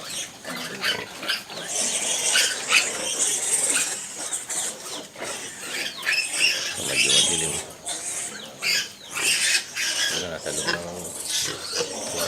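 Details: Pigs heard while a domestic sow gives birth to piglets at night in December; rapid, repeated high-pitched squeaks and scuffling clicks run throughout, with rustling bedding and faint background voices.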